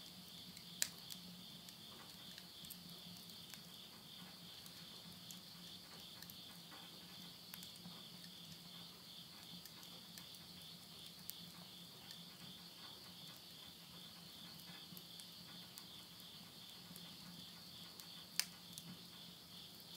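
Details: Nighttime insect voices in rural Yurihama, Tottori, Japan, late summer, September 2020: a continuous shrill, pulsing high trill holds throughout, while a wood stove indoors adds scattered sharp crackles and snaps.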